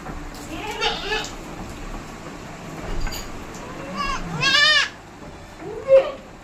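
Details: Hybrid goats at a farm in West Bengal calling repeatedly: several short, shaky, nasal bleats, one stronger drawn-out cry in the middle and a brief final call, over constant low background noise.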